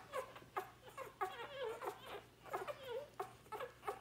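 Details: Sadie's Labrador Retriever pups feeding at lunchtime on day 4 while their mother sleeps; short squeaky whimpers rising and falling, spaced about every half second, some drawn into wavering whines.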